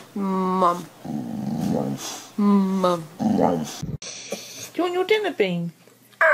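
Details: Talking dog producing harmonic growly syllables in a few separate bursts, each a second or less, like a chattering attempt at words, mixed with a person's voice and a brief noisy break.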